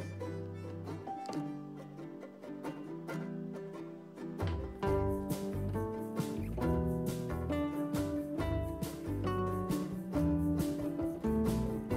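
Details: Soft plucked guitar and pizzicato strings play a light melody throughout, with no animal calls.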